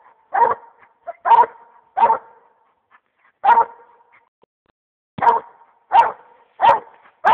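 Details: A one-year-old Black and Tan Coonhound that has treed an animal gives loud, deep, chopping barks in an uneven series, the classic tree bark, while being urged up the tree.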